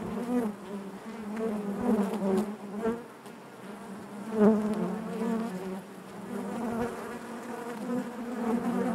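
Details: Inside a honey bee hive, many bees produce a thick, steady drone with stacked overtones, rising and falling in loudness, with a brief louder surge around the middle.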